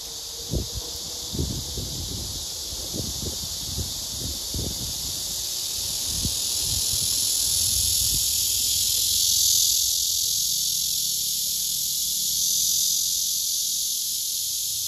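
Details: Courtship song of a male blackish cicada directed at an unresponsive female; a steady, shrill, hissing drone swells gently in the second half, over scattered low thumps and rustling in the first seconds.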